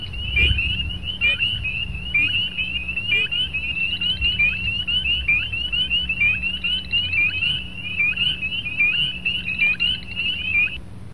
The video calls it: Spring Peepers Calling